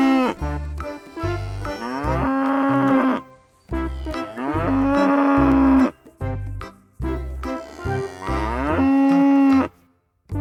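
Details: A cow gives three long, drawn-out moos, each a couple of seconds with a full, steady low tone that swells then fades, over soft background music.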